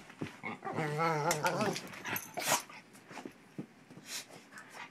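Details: Pit bull puppy pestering an unwilling shepherd companion during play; a drawn-out vocal growl-whine with wavering tone near the start, followed by short snorts and scuffling sounds.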